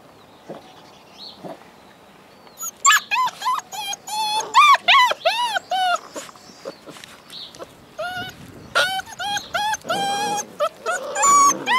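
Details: Several Alaskan Malamute puppies from a litter of eight born in February 2013 howl at once, with thin, high voices arching up and down in wavering, overlapping cries, yips and whimpers.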